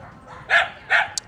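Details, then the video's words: Dog barking at a reactive dog being trained, a known trigger; two short, sharp barks about half a second apart over steady background noise. "again, the dog is barking at him. That's a big trigger."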